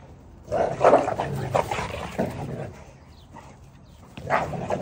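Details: Cane Corso puppy barking in short, low, husky bursts, a few spaced yaps in the first two seconds and another near the end, with quiet room noise between.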